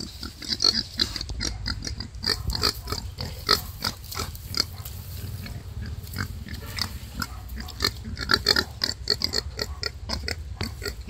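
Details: Wild boar birthing five piglets: a dense, almost continuous run of high, clicking squeaks mixed with soft grunts, bursts coming several times a second, with a low background hum throughout.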